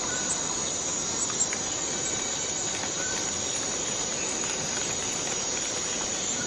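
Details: Borneo rainforest cicada producing an unbroken, piercing metallic whine that stays level throughout, over a dense hiss of forest insects with scattered faint tones.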